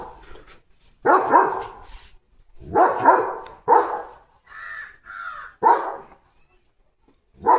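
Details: Male German Shepherd dog in the evening barking after spotting another dog in his wheat field: loud, sharp single and paired barks spaced irregularly over several seconds, with a person speaking between them.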